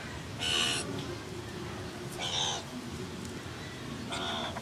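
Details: A meerkat at the San Diego Zoo gives short, harsh, high-pitched chirps, repeated about every two seconds, while curious about a camera up close.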